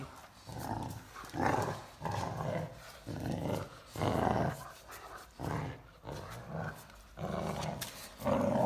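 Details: A 14-week-old male Great Dane puppy playing tug of war with his older sister gives repeated low, rumbling growls in bursts about a second apart.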